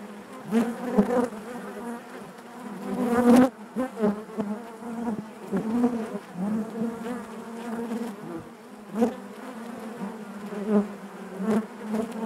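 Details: Hive interior full of honey bees: a steady low hum with layered harmonics, punctuated by short loud buzzes of bees passing close, including a sharp burst early on.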